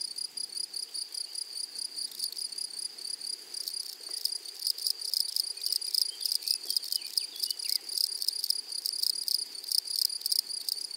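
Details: Grasshoppers singing in a flowery meadow: loud, fast high-pitched pulses in a steady stream, overlaid by bursts of dry rasping buzz from a nearer insect.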